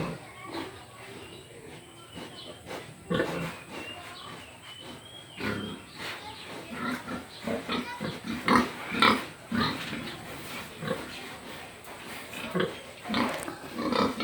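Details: Domestic pig grunting in short, rough, irregular bursts, roughly two per second, some louder and harsher than others, with low background rustling.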